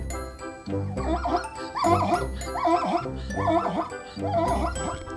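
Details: Zebra call used in a children's animal guessing game: a run of harmonic, yelping barks with wavering pitch, repeated roughly once a second, heard over steady background music.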